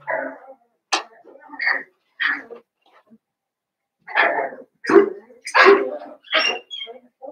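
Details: Cavalier King Charles Spaniel puppies, blenheim-coloured littermates born around New Year's, playing in an indoor pen; a busy string of high yips and short barks, roughly one every second, some overlapping.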